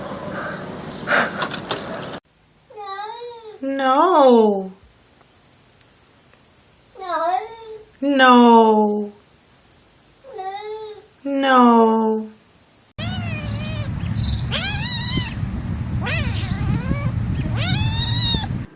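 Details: Talking cat giving three bouts of drawn-out, wavering meows, each bending up then sliding down, spaced a few seconds apart in a quiet room; a burst of noisy background sound with voices and music follows at the end.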